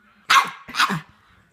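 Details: Two quick barks from a pet dog begging for popcorn indoors, the second softer and trailing off into quiet.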